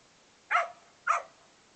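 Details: Male Australian Cattle Dog/English Setter mix barking during play; two short, sharp barks about half a second apart against quiet background.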